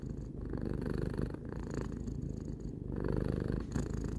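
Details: Three-year-old house cat Tarou purrs in a deep, even rumble, with soft breathing breaks near 0.3, 1.4 and 2.8 seconds and nothing else audible.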